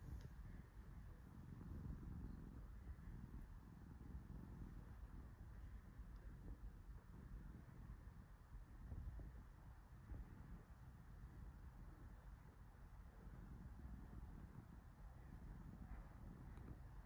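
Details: Cat lying relaxed under a petting hand, giving a continuous deep purr, a soft low rumble that swells slightly now and then against a quiet background hum.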